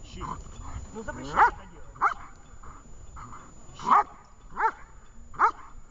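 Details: Dog named Vesta during a training session in Horlivka on 20 July 2019: five sharp, loud barks spaced irregularly about a second apart, with a person's spoken commands and quieter murmuring between them.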